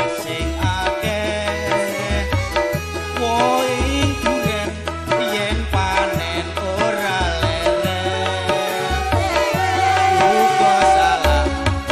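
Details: Loud music with tabla-like drumming, a steady rhythm and melodic singing or instruments throughout, with no animal voice.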